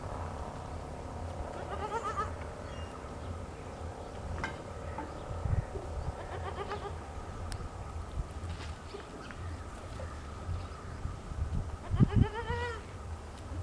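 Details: Goat kid drinking its mother's milk in the morning, giving a few short wavering bleats around two seconds in, again near seven seconds, and a louder bleat near twelve seconds, over steady low rumbling background noise.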